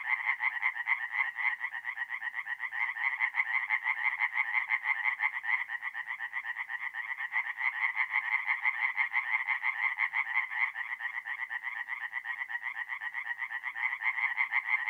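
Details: Tree frogs calling through an April night at a forest pond in North-East Italy. An unbroken, rhythmic rasping chorus of rapid croaks, roughly two pulses per second, holds steady throughout, with no wind, water or human sounds.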